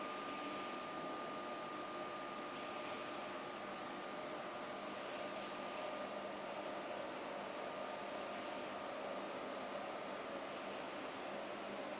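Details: Steady broadband hum with a constant tone, like a fan or appliance running in a small room, with faint soft swells and no animal voice.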